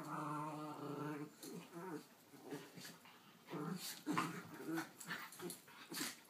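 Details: Indoor squabble between miniature schnauzers, six-year-old Ruthie holding her dog bed against ten-month-old puppy Jackson; a harmonic growl fades after a second, then short irregular grumbles and scuffling noises.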